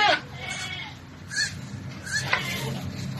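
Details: Goat during a difficult birth that ended with a successful delivery; short, harsh bleats come in brief bursts at the start, around the middle and near the end, with quieter murmuring and background noise between them.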